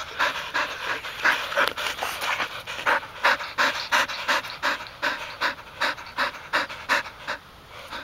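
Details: Three Golden Retriever sisters at retrieving practice, including a one-year-old: a dog pants in quick breathy pulses, fairly regular, about three per second, with brief louder bursts midway.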